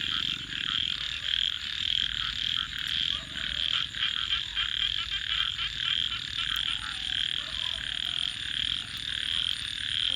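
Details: Frogs calling at night beside a campfire: a dense, continuous chorus of high, buzzy trills pulsing steadily throughout, with occasional sharp crackles on top and a faint low hum beneath.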